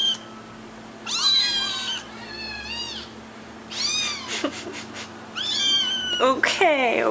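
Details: Kittens seeking their owners' attention give a run of drawn-out and short meows, some overlapping, ending in a sharp, strained cry, with faint rustling indoors.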